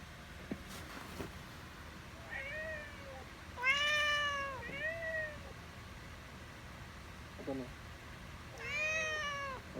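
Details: Domestic cat meowing indoors: a series of about five clear, tonal meows, mostly rising then falling, one louder drawn-out meow near the middle, with faint quiet gaps between calls and low background hum.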